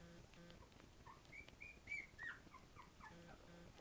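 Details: Two-week-old Havanese puppies, born early with eyes not yet open, give a short run of thin, high squeaking whimpers, some rising and some falling, clustered over about a second, over a faint steady hum and soft indoor handling noise.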